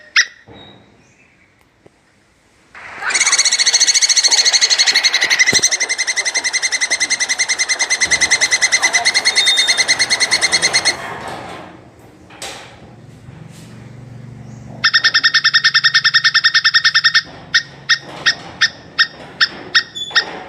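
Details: Calling plantain squirrel in a mating context: a long harsh buzzy chatter with heavy rough noise, a pause, then a clean fast trill of bright chips ending in slower separate chips.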